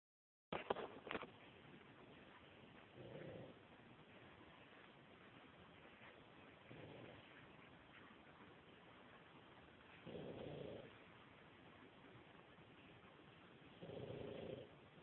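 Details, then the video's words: Yoda, a pug, snores while asleep: soft, low rasping breaths repeated roughly every three to four seconds, each lasting under a second, over a quiet, hissy background. "Yoda the snoring pug."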